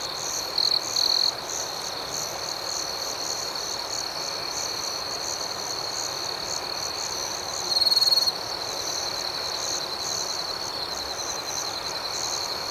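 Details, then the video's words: A cricket chorus at night holds a sustained shrill tone with fast pulses above it; a pair of short loud chirp bursts comes early and another later. "Soothing Cricket Sounds"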